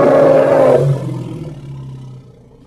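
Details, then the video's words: Hippopotamus, the end of a loud harsh bellow lasting under a second, then a fading low growling rumble that dies away over the next two seconds. "Hippo (Congo) Sounds"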